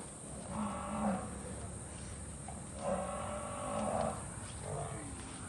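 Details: Murrah buffaloes at a dairy farm in Karnal, India, as milking buffaloes and a bull are loaded for Warangal: three soft, low, droning moos with a steady harmonic tone, spaced about two seconds apart over a constant background hum.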